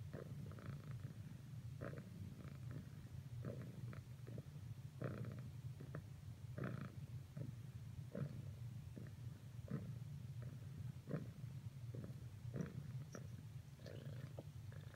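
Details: Domestic cat purring as it keeps trying to cuddle up to a companion after earlier failed attempts; an unbroken low droning hum with frequent short rustling and tapping noises scattered throughout.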